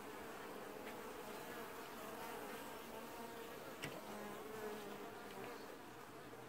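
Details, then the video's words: Steady hum of a honey bee colony wash-boarding at its hive in early July 2019, many wings buzzing together, with a sharp tap near four seconds and brief fly-by tones over the drone. "Washboarding Bees & Ambient Sounds"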